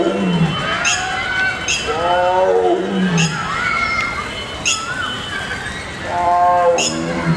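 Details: A female tiger at a zoological park in India (Gwalior zoo) gives deep, throaty, rasping roars that swell and fade over a second or so each, with sharp clicks and faint background noise.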